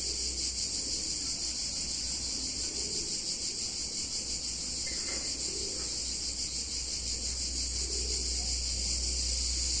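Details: Cicadas singing on a hot summer day in a picturesque Italian town: a dense, unbroken high-pitched buzzing chorus with a slight pulsing shimmer, over a steady low hum and a brief faint sound midway.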